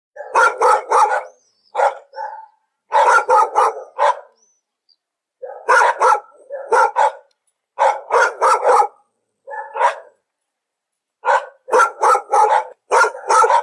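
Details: Domestic dog barking in bursts of three to five sharp, broadband barks, each group separated by short silences, with a few softer single barks between; no other sounds.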